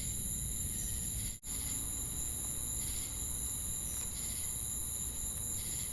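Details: Chirping crickets and cicadas form a constant shrill, tonal hum, with a brief total dropout early on, gentle pulsing bursts in the upper midrange recurring roughly every second, and a low background rumble.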